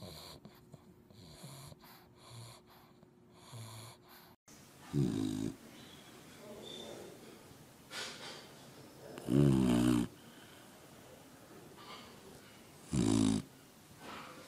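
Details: Sleeping puppies snoring loudly without a care; after a quieter opening stretch, three deep, rasping snore bursts come roughly every four seconds, each lasting under a second, with soft breathing noise between them.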